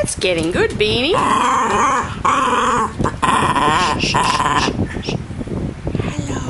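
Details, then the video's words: Mr Bean, a pet dog indoors, trying to say hello: a series of wavering, whiny, voice-like yowls that rise and fall in pitch, some short and some drawn out, over a steady hiss of a fan hitting the microphone. "Talking Dog Mr Bean Having Say Hello Lessons"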